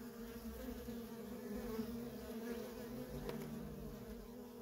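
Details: Nonstop worker bee traffic at a feral honey bee colony: a steady, full humming buzz, slightly wavering in pitch as bees fly near, with a short sharp tick just past three seconds.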